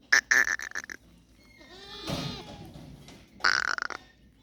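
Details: Goats in Tharparkar, recorded on 29 January 2025: a wavering harmonic bleat near the middle, bracketed by loud clattering, metallic bursts at the start and end.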